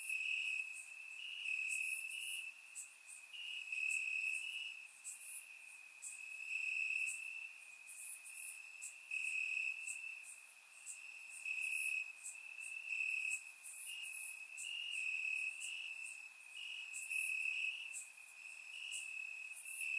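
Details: On a warm summer night in Bulgaria, crickets chirp in the grass: a constant high-pitched trill that brightens in regular pulses roughly every one to two seconds, layered with fainter, higher insect chirps; surround microphone recording.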